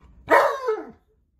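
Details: Tonka, an Alaskan Malamute, talking in a single brief, loud, bark-like vocal burst that slides downward in pitch and stops abruptly, with quiet background.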